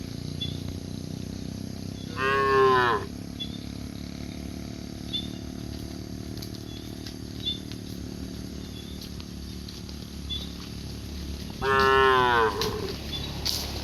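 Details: Cows walking leisurely along cobblestone streets in India; two loud harmonic moos, one near two seconds and another near twelve seconds, each under a second long, over a steady low hum of street background.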